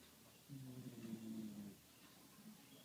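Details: A single drawn-out, low, buzzing snore of just over a second from a sleeping dog, followed by quiet room tone.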